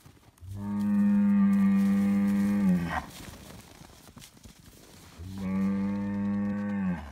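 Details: Highland cattle bull on a Finnish farm, getting bread, bellows two loud, long, level moos, the first about 2.5 seconds, the second nearly two, strongly harmonic and low, with quieter shuffling sounds between them.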